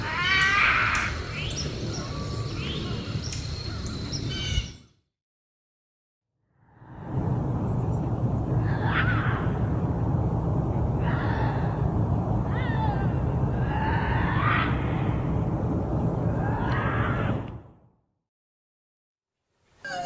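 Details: Bobcat howls and growls used as a raccoon deterrent: a string of short, wavering yowls, each rising then dropping, with hissing background noise and two abrupt silent breaks.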